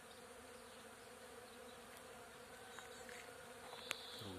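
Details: Bees gathering nectar over flowering acacia at the start of summer make a steady, even droning hum with a low buzzing tone, broken near the end by a brief sharp click and rustle.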